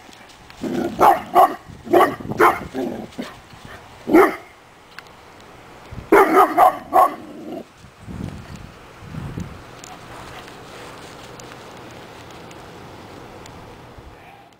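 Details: Young dog, seven and a half months old, barking at a bag blowing down the sidewalk, unsure what to make of it: rapid clusters of sharp barks in two volleys, then a few softer huffs and quiet outdoor background.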